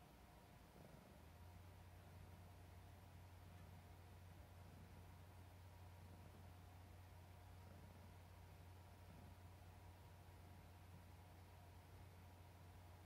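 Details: Chouchou, a pet cat who adores her papa, purring affectionately indoors; a steady low rumble sets in after about a second and continues evenly to the end in a quiet room.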